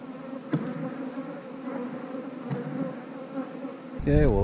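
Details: Backyard hive colony of honey bees, kept by a beekeeper making splits, giving a continuous low hum with two brief knocks, then a man's voice begins near the end.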